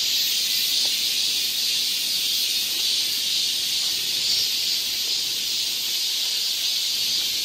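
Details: High, even sizzling of numerous cicadas in the Galsan Park forest in Seoul during summer, a relentless droning chorus with mild waves of intensity and a few faint clicks below.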